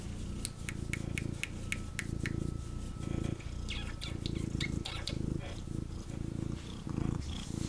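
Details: Male kitten purring intensely while picked up and cuddled by his owner indoors: low, rumbling pulses in long breath-length bursts, with sharp clicking handling noises through the first half and a faint steady tone above.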